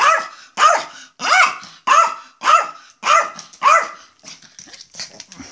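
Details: Yorkshire Terrier barking in excitement to go out of the house: seven loud, harmonic barks about every half second, each with a rising-falling pitch, followed by softer scuffling and faint noises.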